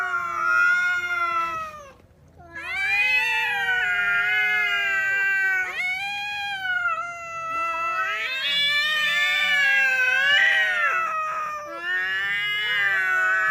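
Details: Pair of cats fighting whenever they meet: continuous wavering yowls swelling and falling in pitch, one briefly pausing before resuming, long overlapping wails throughout, no other sounds.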